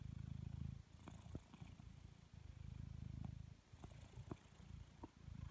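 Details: Purring of a relaxed blue British Shorthair cat, a low throaty rumble in rhythmic breath cycles of about two seconds, louder on each phase, with small tapping and rustling sounds between cycles.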